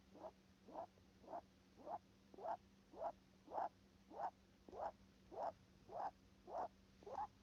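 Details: Nose breathing of a rabbit, heard as an even series of brief snuffly bursts, about one every 0.6 seconds, each a quick airy rasp, over a quiet steady background hum.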